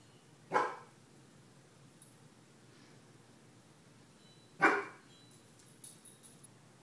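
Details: Indoors, Nietzsche the 15-month-old Weimaraner barks at a crow on the skylight: two sharp, loud single barks about four seconds apart, with quieter rattling and bumping noises between them.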